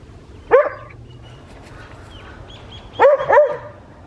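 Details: Small West Highland White Terrier in a village garden on a winter morning in Hoat Wala, South Punjab, Pakistan: one sharp bark, then a quick pair of yapping barks about three seconds later.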